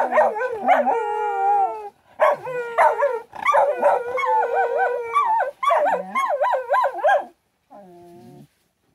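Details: Shetland Sheepdog pups howling for joy after morning breakfast; several dogs in a wavering, overlapping chorus of sustained, quavering howls mixed with yips, pausing briefly, ending with a softer howl.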